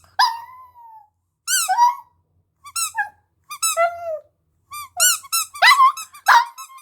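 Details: Howling puppy singing: an opening drawn-out falling howl, then spaced squeaky yelps with dropping tails, ending in a quicker, louder cluster of high cries.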